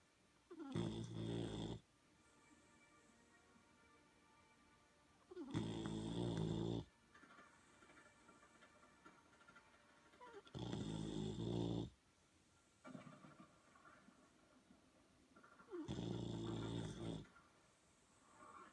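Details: Boxer puppy sleeping after a long day of playing, snoring steadily: four long, harsh, low rumbling snores, each over a second, repeated about every five seconds with quiet pauses between.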